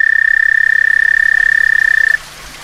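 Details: A frog's mating call recorded on a back stoop in summer: one steady, high, rapidly pulsed trill lasting about two seconds, ending sharply into faint hum.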